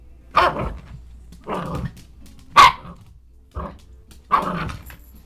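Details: Under an office chair, Elsie the dog lets out five separate barks, about one each second, some harsh and growly, with quiet gaps between them.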